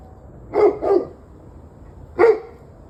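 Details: Evening barking from a dog on 11/21/23 at 7:06 pm: a quick pair of barks, then a single louder bark about a second later, against a faint low hum.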